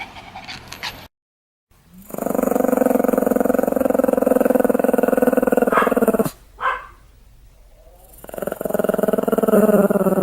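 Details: A Pomeranian called Sam growls while play-acting a bite, 1 May 2015. A long, steady, rumbling growl holds for about four seconds, breaks off briefly, then resumes.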